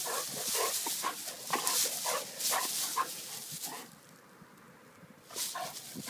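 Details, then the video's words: Vizsla in play: rapid, uneven run of short gruff grunts for about four seconds, a quiet pause, then a few more bursts, against constant hiss. "Vizsla's playing"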